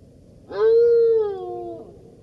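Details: Golden jackal giving one steady howl, a sustained, even-pitched wailing tone lasting over a second before dropping away, with clear overtones above it and a quiet background.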